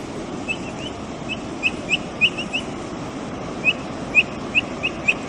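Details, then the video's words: A Brazilian capybara feeding and calling with brief, high-pitched upward chirps, scattered singly and in short strings, growing more regular toward the end against a continuous hissing background. "Som da CAPIVARA. Capivara piando? O pio da capivara brasileira. Capivara comendo e fazendo barulho.."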